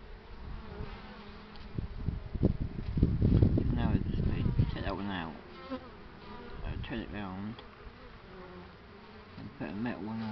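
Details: Several honey bees droning, their hum sliding up and down in pitch as individual bees fly close and pass by, over a steady low rumble that swells in the middle of the recording.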